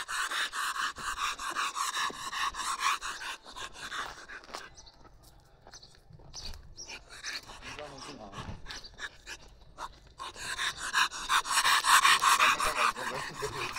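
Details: Bull terrier panting in quick, rhythmic breathy bursts at the start and again near the end, with people chatting in Armenian and laughing in between.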